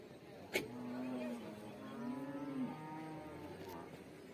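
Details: Water buffalo calves at a market: a drawn-out, low nasal moo lasting about two seconds, slightly wavering, over steady crowd and traffic murmur with a sharp knock near the start.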